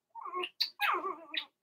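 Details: Cavalier King Charles Spaniel puppies, a Blenheim litter of six born to Remy, kept in a home puppy pen during potty training. Three quick squealing whines in a row, the middle one short and sharp, in a quiet room.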